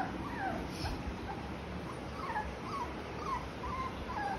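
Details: Thirty-day-old blue beagle puppies give faint, thin whimpers that rise and fall, several short cries in quick succession over a steady low background rumble.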